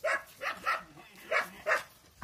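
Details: Central Asian Shepherd puppy from Russia: five short, sharp yelps spaced about a third of a second apart, bright and high-pitched, with a faint voice in the background.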